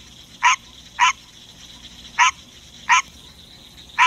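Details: A pet male green tree frog singing in the middle of the night indoors: loud, harsh, nasal quacks spaced roughly half a second to a second apart, five notes against a low steady background hum.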